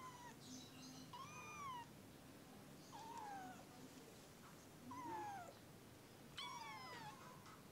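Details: Kitten in the early morning producing four or five short, falling meows about every one to two seconds, thin and high-pitched, over a quiet steady hum.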